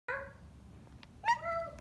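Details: A lazy female Siamese cat gives two short, nasal meows when her owner wants her to meow; the second is louder and drawn out.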